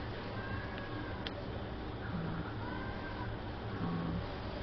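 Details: Hootie, a friendly male cat up for adoption at the Kitsap Humane Society and the longest resident of its new cattery, gives a few soft, drawn-out meows that arch up and down in pitch over a steady low indoor hum.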